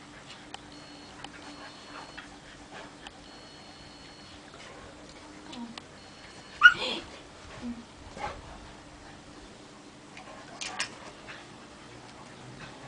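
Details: Two Tosa Inu dogs at play give a brief harsh, broadband yelp-growl burst near the middle, with softer short grunts before and a second rasping burst later, over a steady faint hum and thin electronic tones.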